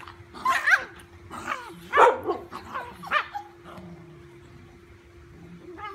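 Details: Fearless dachshund playing with a big golden retriever puppy indoors; a few sharp barks and yips in quick succession during the first three seconds, then quieter whines and a steady low hum.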